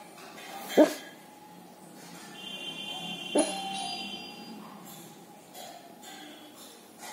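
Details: K9 dog asleep, barking in response to a passing police siren; two muffled barks near 0.8 and 3.4 seconds, softer than before, amid background hum and faint tonal sounds.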